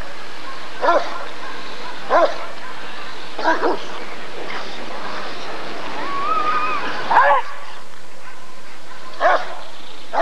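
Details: Rottweiler barking during the 1994 ADRK Körung breed survey: five deep, resonant single barks spaced one to two seconds apart, with a brief wavering whistle-like tone and faint crowd murmur between them.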